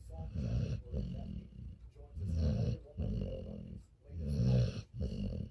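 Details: Pet dog asleep and snoring, low rumbling drawn-out breaths repeating roughly twice a second apart in a steady rhythm, quiet room otherwise.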